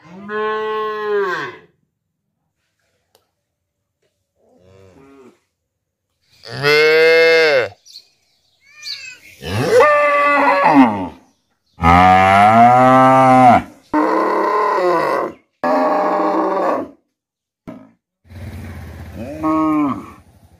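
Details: Village cattle in Tripura, India: a mother cow moos to call her calf and a black calf calls back, long harmonic bellows rising and falling, some higher-pitched.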